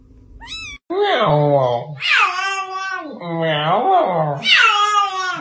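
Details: Domestic cat 'talking': four long, wavering, drawn-out meows in a row, each sliding up and then down like speech, after a brief human voice at the start, indoors with no other sounds.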